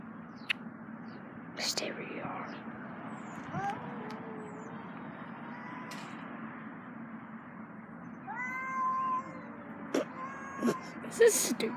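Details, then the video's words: Cats making weird noises while breeding: drawn-out, wavering meows and yowls with strong overtones, some rising then falling, scattered across the recording over a steady low hum, with occasional sharp clicks and knocks. "Cats making weird noises while breeding"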